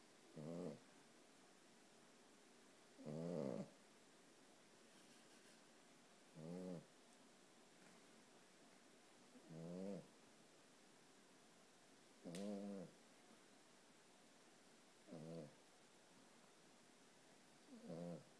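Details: A one-year-old male Boston Terrier in a sweatshirt, asleep with one eye open, snores in low, rattling breaths about every three seconds.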